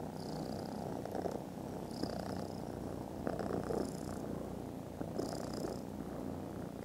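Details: Contented foster kittens snoozing after lunch, purring very loudly indoors; a continuous low rumbling purr with soft breathy swells recurring about every one to two seconds.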